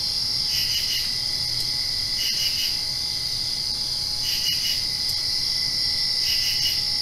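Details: Crickets at night directly after rain, a dense continuous high trill with steady shrill bands, overlaid by brief pulsed chirp bursts recurring about every two seconds; a faint low hum sits underneath.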